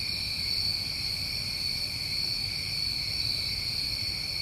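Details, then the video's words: An unvarying, high-pitched cricket drone from a New England summer night, several steady layered tones running throughout with no breaks or other sounds. "Over 1 Hour Of Tinnitus Masking With Crickets"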